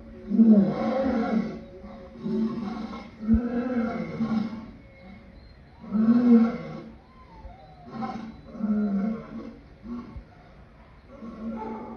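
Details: Lion giving a series of throaty, harmonic roaring calls, each burst about a second long and repeated every one to two seconds, with rises and falls in loudness between calls.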